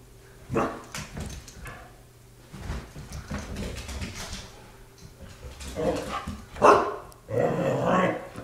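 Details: Pet dog playing, giving a few short rough barks and whimpering sounds around the sixth to eighth seconds, with a louder bark near the end; people speak quietly and household rustling is heard between the calls.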